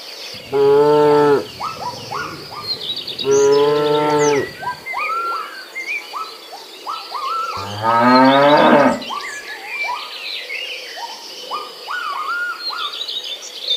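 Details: Herd of village cattle foraging for fresh grass; three loud moos, two steady calls near the start and a rougher, rising one around 8 seconds, over constant chirping birds and buzzing insects.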